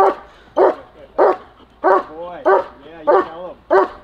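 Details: Protection-trained German Shepherd giving seven loud, harsh barks spaced about 0.6 seconds apart, with a faint man's voice between them.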